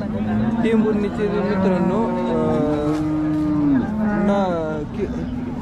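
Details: Cattle market in Sangola, Maharashtra, 15 October 2023, with Jersey cows: low, steady lowing that swells and fades over several seconds, mixed with people talking nearby.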